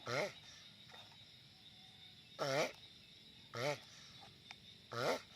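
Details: Giant sulcata tortoise making loud noise: four short, harmonic, groaning calls with a bent, wavering pitch, spaced one to two seconds apart, over a steady quiet background hiss.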